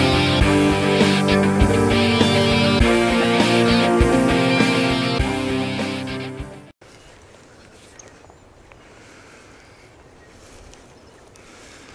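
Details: Loud heavy guitar music plays, then cuts to quiet outdoor background hiss during an early morning red stag hunt, with no animal call.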